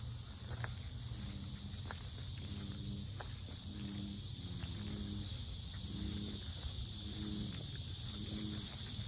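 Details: Cicadas at the Sinjeongho lotus park in Asan drone in a continuous, very loud, high-pitched buzz like a steady electric hiss, over crunching footsteps, a low rumble and a few faint repeated background tones.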